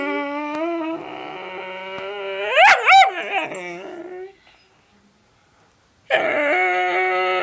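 A whippet gives a long, steady, nasal whine that swoops up into sharp yipping howls.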